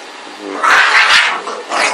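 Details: Boston Terrier and Pug mix, known as a Bug, growling while playing: a harsh, noisy burst that swells and fades twice within two seconds, rough and broad rather than tonal.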